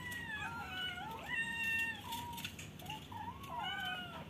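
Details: Several caged kittens meowing, wanting out of the cage: overlapping thin, wavering meows that rise and fall, over a steady hiss of background noise with faint clicks.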